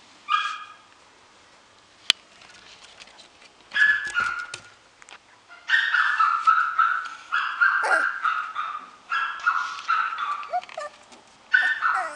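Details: Young dog in a pet shop letting out bursts of sharp, high yapping barks mixed with whiny yips, grouped in short volleys separated by brief pauses, plus a single click early on.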